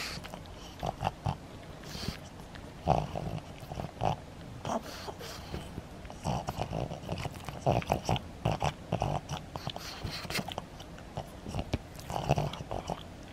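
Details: Maria, a pet pug in Saitama, Japan, recorded 3 August 2020 while pulling cotton stuffing out of something, snorting and snuffling in rapid, irregular bursts of low, rough puffs throughout.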